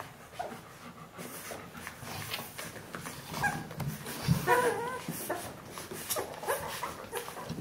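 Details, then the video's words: Bernese Mountain Dog puppies of the B litter, 14 days old, from Jeanie and Captain; a few short high squeaky whimpers rise and fall midway, over a background of rustling and shuffling noises. "Jeanies und Captains Welpen 14 Tage alt Bernese Mountain Dog Puppy"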